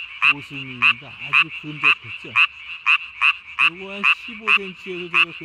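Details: Tree frog calling at night, 3 May 2020, throat sac puffed up as big as its body; strong harsh pulses repeated roughly twice a second, separated by gaps that are filled with lower, wavering harmonic calls and a faint chorus.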